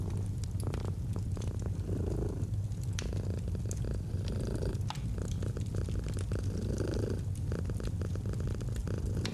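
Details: Deep, even purring of a domestic cat, a constant low rumble beneath irregular crackles and pops from a fireplace, in a calm autumn ambience.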